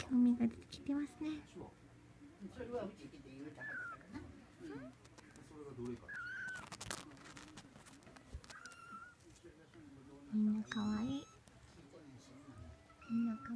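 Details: A 21-day-old Munchkin kitten, indoors, learning to walk, gives several thin, high mews, each short and falling in pitch, spread through the recording, while people talk quietly in a small room.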